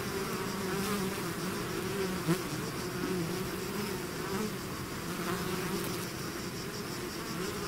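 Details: Bees swarming out of their hive make a thick, continuous hum, many wings blending into one low droning buzz with faint wavering overtones and a single brief close pass near the middle.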